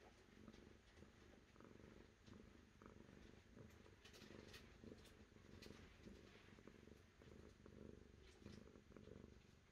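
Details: Steady rumbling purr from a cat, dense and deep, rising and falling with regular breathing cycles, while scattered sharp clicks and rustles flick across the upper range.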